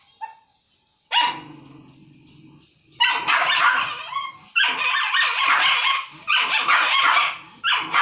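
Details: Dogs quarrelling over food; a low rumbling growl after a sharp yelp, then bouts of rapid harsh snarling barks, each lasting about a second.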